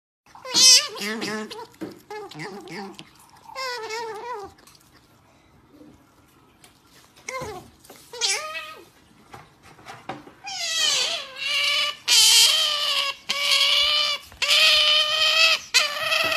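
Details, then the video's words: Nutria asking for food gives loud, wavering, nasal wails, first in short separate cries, then in a near-continuous, louder run of long moaning calls over the last six seconds. "Nutria Pide De Comer"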